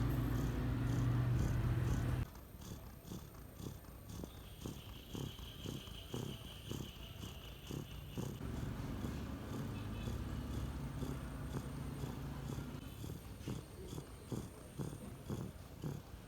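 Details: Sleeping cat giving a low, rumbling, purr-like snore, steady pulses about four per second. A loud noisy burst fills the first two seconds before the snoring continues on its own.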